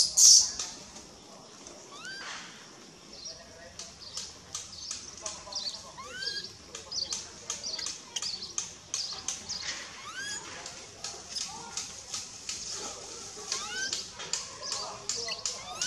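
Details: Crying baby monkey named Begal, ignored by its mother Lemon, gives many short rising whimpers and squeaks in quick bursts, mixed with frequent sharp clicks and rustles over a long run.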